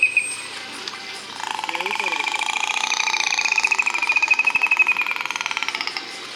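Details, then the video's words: Recorded killer whale vocalization broadcast to an audience at SeaWorld San Diego, 5 December 2015: a drawn-out buzzy pulsed call with layered harmonics, wavering gently in pitch, and a faint higher whistle fading in and out. "Killer whales communicate with each other using all sorts of sounds. Let's listen. That one happens to be our favorite."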